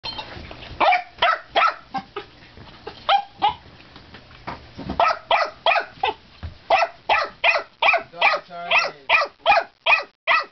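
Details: A dog at its water bowl barking in quick, insistent bursts, about two to three sharp barks per second, with a brief whiny tone near the end and some low room rumble early on.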